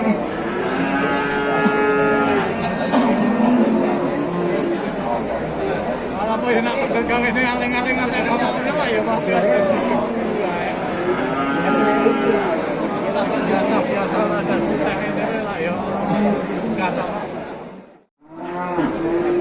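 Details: Calf lowing among cattle, with many overlapping harmonic moos, some arched and drawn out, others short, nearly continuous through the recording, with background chatter and a brief dropout near the end.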